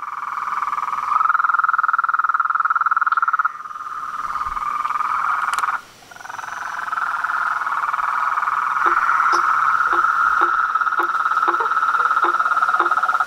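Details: Frogs, toads and treefrogs in chorus at nightfall at a pond in front of a house, a dense mixed din: a steady high trilling band with sharp clicking notes repeating rapidly toward the end.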